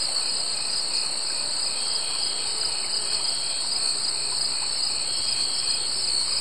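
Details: Steady shrill trilling of summer insects, two bright sustained tones layered over light ambient hiss, unchanging from start to finish.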